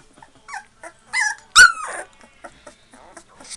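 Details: Two-and-a-half-week-old Labrador Retriever puppies giving thin whining squeals, a few short rising whimpers building to one loud sharp yelp in the middle, then softer snuffly squeaks.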